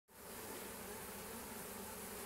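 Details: Honey bee foragers crowding in with pollen loads on 18 March around eleven in the morning: a dense, steady buzzing hum of many wings, starting abruptly and holding at an even level.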